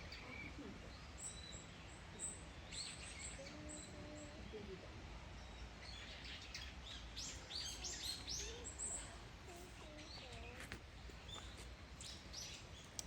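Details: Captive bush dogs at Yokohama Zoological Gardens Zoorasia in Japan, recorded 21 November 2022: rapid, irregular high-pitched squeaks and chirps in bursts, some sliding upward, over steady low background hum with faint voices.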